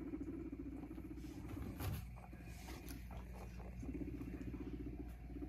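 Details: Pet guinea pig with a cardboard box hidey house; a low, fast-pulsed purring rumble opens the clip, breaks off during a rustle and a bump near the middle, then returns toward the end.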